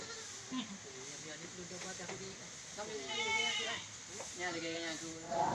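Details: Village livestock goats in Indonesia bleating: a series of quavering, wavering bleats from more than one animal, rising to a louder shaky call midway, with soft background noise.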